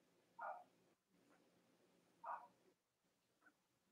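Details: Robin and Myra's Cavalier King Charles Spaniel puppies, live on a chilly Monday morning: two clear mid-pitched whines about two seconds apart, a faint third near the end, over a steady background hum.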